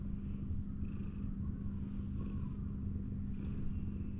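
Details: Petted ginger tabby cat, its big belly exposed as it leans on a wall, gives a steady deep purring rumble; three soft rustling strokes through its fur punctuate the drone.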